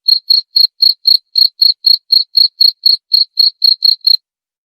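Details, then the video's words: Cricket sound offered for repelling rats, heard as a run of about seventeen sharp, high chirps at a brisk, even pace, then stopping abruptly into silence near the end. "usir tikus dengan suara jangkrik"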